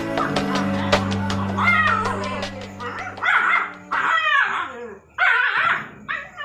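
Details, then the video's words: Rottweiler and Pug playing together: a string of short whiny yips and whimpering squeals, bunched in bursts in the second half, over steady background music. "ROTTWEILER & PUG are playing together"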